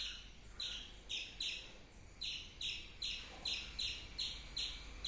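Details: Squirrel giving a run of about ten bright, clipped chirps, each a quick high note sliding downward, after a brief pause near the start.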